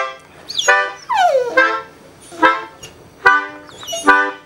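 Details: Female dog singing along to reggae music: harmonic, wavering howls and yelps with downward-sliding tones, bursts coming roughly once a second, faint music in the background.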